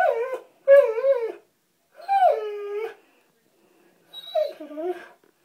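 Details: Springer spaniel named Abby whining in a bathroom while trying to catch a water bug seen in the bathtub; three drawn-out, wavering, harmonic whines with short pauses between them, no voices heard.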